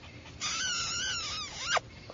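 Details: Small white and sable female Papillon puppy gives a high, drawn-out whine lasting over a second. It wavers, sags lower, then sweeps sharply up and cuts off, while a woman speaks softly and coaxingly nearby.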